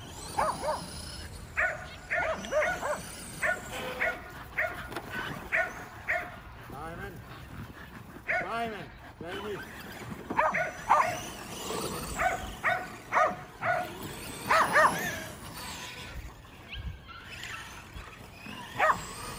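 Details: Kerry Blue Terriers playing with a Traxxas E-Revo remote-control car, giving bursts of sharp, harmonic barks in irregular clusters throughout, mixed with frequent human talking and faint motor whirring.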